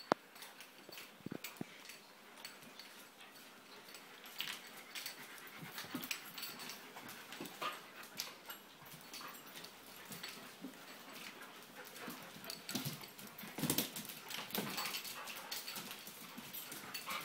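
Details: Two dogs, Mongsoon and Drake, playing excitedly together indoors during a home dog-sitting stay in Jerusalem; steady breathy panting and scuffling noises throughout, with brief louder rustles and thumps of rough play.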